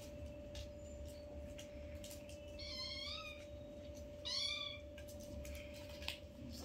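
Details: Newborn kittens, five in the litter, playing with their mother at a first meeting: two high, wavering mews with layered harmonics, about a second and a half apart, over a steady low hum and faint rustling.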